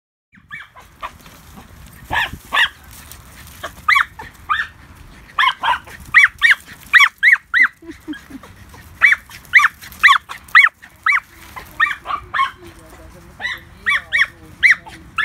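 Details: Two Border Terriers, Baxter and Leo, bark in quick irregular bursts of sharp, yappy barks, often doubled or tripled, with short pauses between volleys and a faint background hum.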